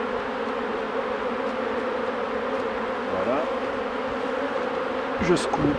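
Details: Honey bees humming at hives being worked by a beekeeper, a steady low droning buzz with even tones throughout, and a brief human voice near the end.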